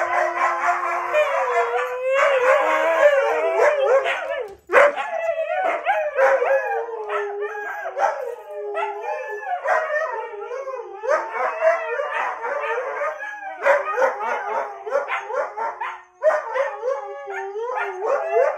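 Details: Siberian Husky responding to a person's awoo: a long, excited run of wavering howls mixed with rapid yips and warbling yodel-like notes, pitch sliding up and down, with only brief pauses.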